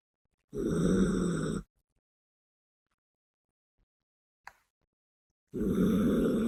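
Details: Bisuke, a female Yorkshire Terrier, snores while asleep: two buzzy, nasal snore bursts, each about a second long, five seconds apart. A faint click falls between them in otherwise quiet surroundings.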